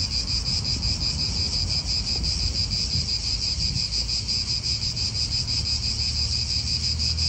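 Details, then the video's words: Cicadas in an Italian park, a continuous shrill buzzing chorus pulsing steadily at high pitch, with low wind rumble and distant traffic underneath. "italian park ASMR Cicadas wind real atmosphere in an Italian park birds"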